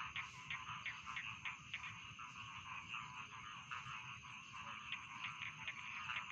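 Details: Rice field frogs croaking in a thick nighttime-style chorus used as a sleep sound: a steady buzzy wall of calls with short, clicky croaks repeating quickly throughout and a soft low hum underneath.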